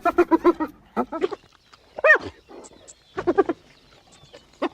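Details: Hyena calls, said to carry far and keep the group in touch: bursts of rapid, stuttering, giggle-like pulses, then a single rising-and-falling arched cry, followed by more choppy pulsed chatter and a final short yelp.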